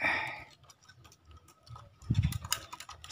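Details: Only clicking and tapping sounds like typing on a keyboard are heard in a small room, with no animal voice.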